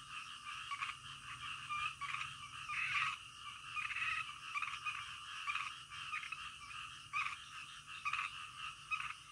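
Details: Frogs croaking in the middle of the night: a dense, rasping chorus of many callers with repeated pulsing bursts roughly every second, swelling louder around the third and eighth seconds, with no other clear sounds.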